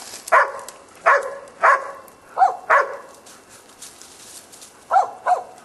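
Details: A boar-hunting Korea Tri Hound gives a string of barks, roughly one every half second. Later barks sound slightly lower and more clipped, and a quieter pair comes near the end.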